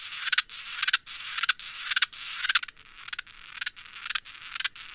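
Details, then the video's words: Naki-inago grasshopper song slowed four times: rhythmic rasping pulses, about two per second, each a cluster of scratchy strokes, fading slightly toward the end. "ナキイナゴ鳴く 4倍スロー"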